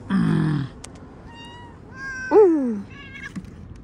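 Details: Pet cat meowing: a low nasal call, then a sharp falling meow and several thin higher mews, with quiet pauses between and soft human voice in the background.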